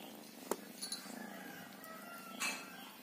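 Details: Cilo, a female mixed-breed village cat (kucing kampung), adopted as a kitten and now a mother of three, purring while asleep indoors: a soft, low, steady pulsing rumble, with a faint click and a brief rustle near the end.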